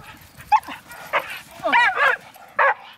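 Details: Dogs, two pit bulls and a Chihuahua mix, excited during lure chasing in a backyard: a handful of short, sharp yips and barks in quick bursts over a few seconds, with people talking softly in the background.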